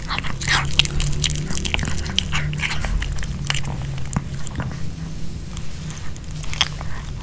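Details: Pomeranian dog eating homemade chicken hearts kebab with bell pepper, recorded up close without talking: rapid irregular crunching bites and sharp wet clicks, about two per second, over a constant low hum.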